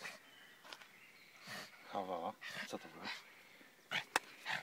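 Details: A pug confronting a mole gives short nasal snorts and a rough buzzy grunt, broken by sharp sniffing bursts and faint background noise.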